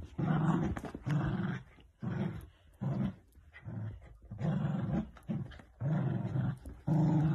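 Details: Playing Dachshund puppies growling in repeated low, rumbling bursts under a second long, separated by brief pauses, in a small indoor space.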